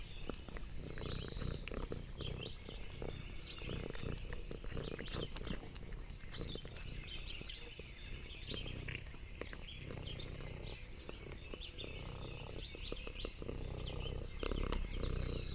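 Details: Lexi, an orange tabby cat, on a countryside farm, purring contentedly while exploring and eating: low, rumbling pulsed purr bursts with soft crunching noms, and small birds chirping and whistling high in the background throughout.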